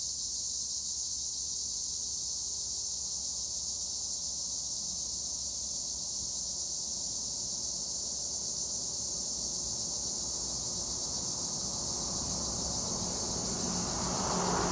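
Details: High, unbroken shrill buzzing of tree crickets (Acheta assimilis) in olive trees near Edremit, Turkey, with a broad rushing noise, likely wind or a passing vehicle, swelling over the final seconds.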